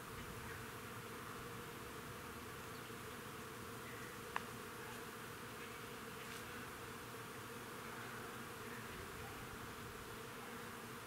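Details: Crab-apple tree in a front yard alive with working bees, their constant buzzy hum steady and layered, broken only by one brief sharp click.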